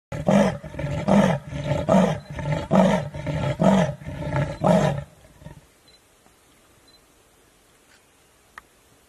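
An African leopard calls with about eight hoarse, rasping grunts in quick succession, each a rough breath in or out like wood being sawn. The series stops after five seconds, leaving near silence.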